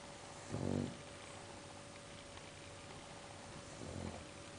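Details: English bulldog snoring while asleep: two low, rough, rumbling breaths about three and a half seconds apart, the first louder, over steady background hiss and a faint electrical hum.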